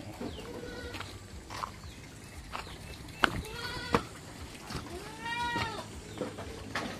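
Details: Backyard farm goat giving a drawn-out, quavering bleat late in the recording, preceded by scattered faint calls, sharp knocks and clatter from the pen.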